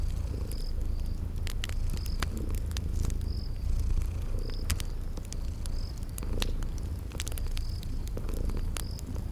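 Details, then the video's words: Drowsy kittens purring by a fireplace in a spring garden soundscape: a strong, even low rumble with faint breath-timed swells. Loud crackling pops from the fire and a faint high chirp repeating in the background. "Relax with Cute Sleeping Purring Kitties by a Crackling Fireplace"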